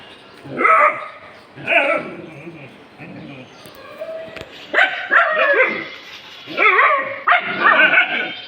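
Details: Pet dogs reacting to something they have found, giving bursts of high, harmonic barks and yips about once a second, with pauses between, and a human voice faintly underneath.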